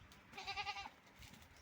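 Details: Farm-raised goats being watered on a hot day; one tremulous, vibrating bleat lasting about half a second, followed by quiet background and low voices.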